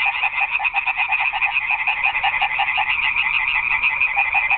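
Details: Frogs calling together at night in a garden pond, a steady, fast-pulsed rattling chorus of overlapping croaks, about three pulses a second, with no pauses.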